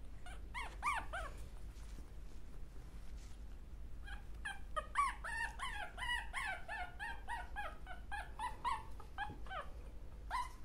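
Small dogs give high, thin yips and whimpers in quick bursts, several voices overlapping.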